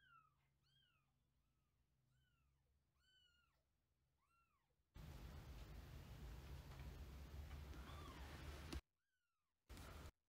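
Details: Older domestic cat inside the place of a newly arrived month-old grey kitten soon after their first meeting; a run of five or six arched, rising-falling meows, then a long stretch of noisy rustling.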